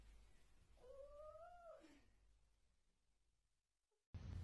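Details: Domestic cat giving a single drawn-out meow of about one second, a smooth tone that holds steady, rises slightly, then slides down at the end, over a quiet hiss, followed by silence and a sudden loud burst of noise.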